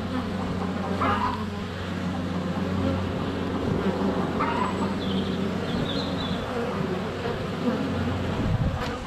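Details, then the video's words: Honey bees buzz thickly around their hive entrance in February sun, captured close up with a GoPro Hero 7 Black; a steady droning hum runs throughout while short bird chirps break in at one, four and five seconds. "4K Honey Bees - ambient video and audio"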